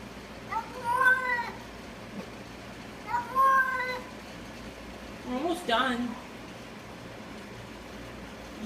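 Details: A cat making odd noises: two long, wavering meows about two seconds apart, then a shorter, harsher, broken cry, over a faint background hum.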